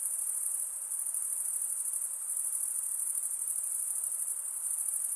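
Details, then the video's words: At night, a steady wall of high insect trilling rings on unbroken, shimmering slightly in loudness, over a soft background hiss. "night insect sounds"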